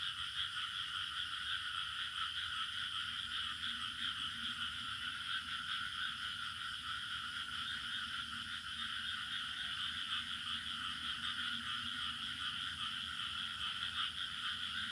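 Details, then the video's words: Village ambience of crickets: an unbroken, even chorus of high shimmering trills stacked in several bands, with a faint low murmur beneath and no pauses over fifteen seconds. "Bunyi Cengkerik Katak Burung Suasana Kampung"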